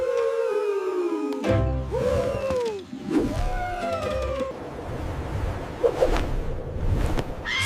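A yellow-cheeked gibbon gives a few rising and falling tonal whoops, each swooping up then sliding down, over a background of music and a low rumble.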